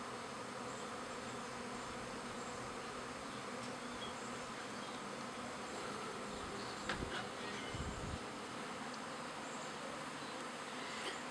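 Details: Spring swarm of backyard honey bees, half the overcrowded hive leaving with a new queen; a continuous low droning buzz runs unbroken throughout, with a few faint clicks and knocks.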